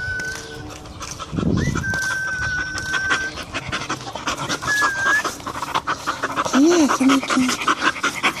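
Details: A Bull Terrier, one of two (a 3-year-old male and a 2-year-old female), pants in quick, rough bursts, then gives a short, wavering whine.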